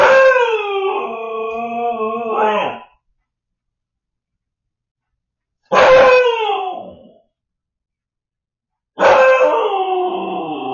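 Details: Home-alone Siberian Husky puppy Shadow, filmed on an indoor camera while its owners were at dinner, howls three times: a long, level, harmonic howl of about three seconds, then two shorter howls that fall in pitch, separated by silence.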